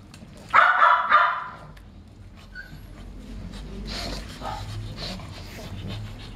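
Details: A Pekingese from a kennel in Itapetininga, São Paulo, Brazil gives a quick pair of sharp, high barks, followed by quieter background sounds.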